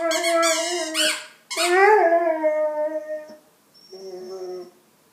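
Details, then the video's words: Pet dog singing and making sounds with a toy; a rising then falling howl, a brief break, a long sustained wavering howl, then a softer short whine near the end, with a faint high squeak. "Cute dog singing and making sounds with toy"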